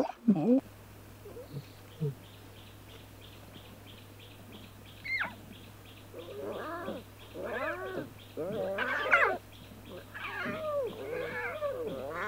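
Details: Lion cubs at play in the wild: arching, wavering mews and squeals, sparse at first and then more frequent toward the end, over a steady low electrical hum.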